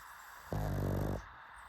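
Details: Snoring pug giving one short, deep, buzzing snore of under a second against a quiet, steady background hiss.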